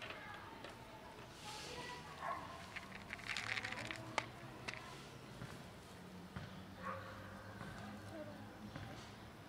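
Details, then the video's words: Fluffy cat, a female who won't let herself be petted, thanking for food with a few scattered meows spaced seconds apart, amid rustling, crackles and a steady low hum. "Fluffy cat just won't let me pet her but thanks me for food"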